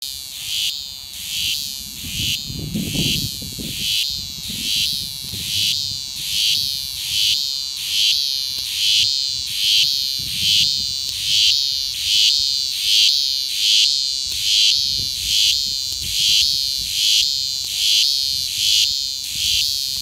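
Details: Cicada buzzing in Rodd Park, an elevated headland overlooking Rodd Island and Iron Cove in Sydney; loud high rasping buzz pulsing steadily about once a second throughout, with faint low background rumble and murmur.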